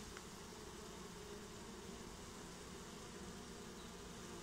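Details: Constant buzzing of a honeybee swarm getting a new home, a dense steady whirr without pauses.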